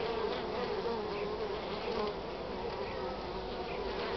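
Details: Many honey bees bringing in their first natural pollen of spring on 8 March in the country's north; a continuous thick hum with faint higher buzzes of single bees flying close by.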